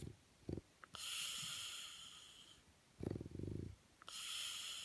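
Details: Fletcher, a male French Bulldog, sleeping on his back under the covers with eyes wide open. He snores with hissing, wheezy inhales carrying a thin high whistle, alternating with short rattling, fluttering exhales about every three seconds.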